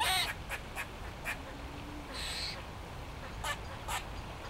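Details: Eastern gray squirrel calling in trees at the Botanical Gardens in Sheffield, one of several waving their tails in display; brief harsh, buzzy calls and short broadband bursts scattered through the clip, with one longer rasping note near the middle.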